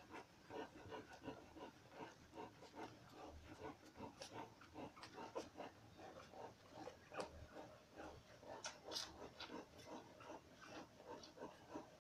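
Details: Dogo Canario puppies two days old, a litter in a kennel, giving a steady stream of small squeaks, snuffles and whimpers, overlapping and irregular, with occasional sharper high squeals throughout.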